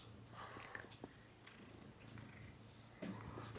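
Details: House cat purring indoors, a deep, even, continuous rumble held for several seconds, with faint rustling and a brief sharper sound near the end.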